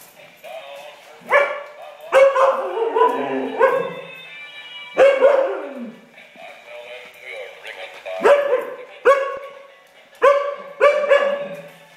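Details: Siberian Husky with a robot chicken toy, giving loud harmonic barks and yelps in irregular bursts, some sliding downward, spaced one to two seconds apart, with tonal music-like sounds between them.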